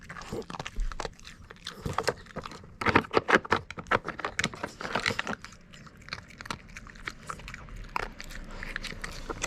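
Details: Kon, a Mameshiba dog, crunches treats from a puzzle toy during training. Crisp biting snaps cluster densely around the middle and then thin into lighter, scattered chews. A quiet indoor background sits underneath.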